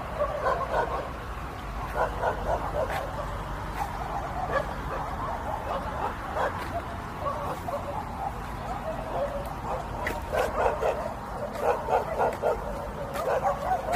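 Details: Miru, a pet dog at home, gives a run of short, high, tonal yips and whines, roughly three or four a second in uneven bursts, over a steady low room hum.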